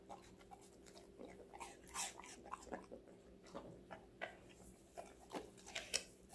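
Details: Five-month-old female Golden Retriever eating various vegetables: sharp, crisp crunching bites repeating roughly every half second, about eleven distinct crunches, with a faint steady low hum in the background.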